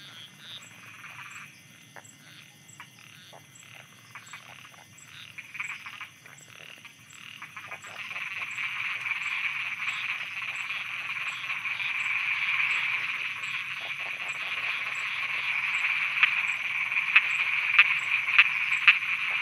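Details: Thai frogs croaking after dark. Scattered soft pulses swell into a dense, continuous buzzing chorus after about eight seconds, topped near the end by a few loud sharp clicks.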